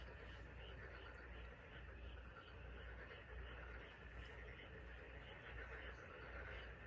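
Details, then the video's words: Massed frogs calling on the Taean Peninsula of South Korea, a rhythmic pulse of short repeated notes over a continuous chorus, accompanied by a steady low drone. "개구리 울음소리(태안반도 개구리 합창)"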